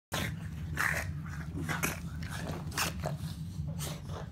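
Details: Boston Terrier (Canis familiaris), play growl.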